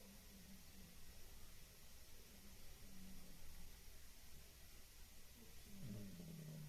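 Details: Pet cat Gigi, a female, snoring like an uncle while she sleeps at home; soft, low droning breaths recur through the quiet, and a louder, rougher snort-like snore sounds in the last second.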